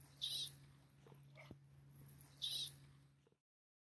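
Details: Western banded gecko of the Mojave Desert giving chirps or squeaks, as it does when protecting territory or captured: two brief high squeaks about two seconds apart, with a constant low hum and small clicks behind.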